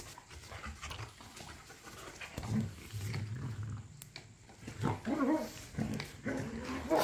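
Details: Rough play between pit bulls and a Malinois in a back yard: bursts of deep growling and snarls recur every couple of seconds, with panting and scuffling between them.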